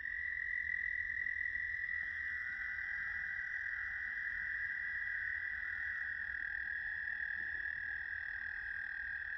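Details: American toads calling at South Point, Huron, Ohio, on 10 May 2022: a long, unbroken high musical trill held steadily throughout, with a second overlapping trill at a slightly different pitch joining after two seconds.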